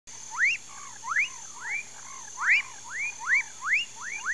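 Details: Amphibians calling in a Mauritia flexuosa palm swamp near Pedro Gomes, Mato Grosso do Sul, Brazil: short upward-sweeping whooping notes, roughly a dozen in four seconds, irregularly spaced over a faint steady hum.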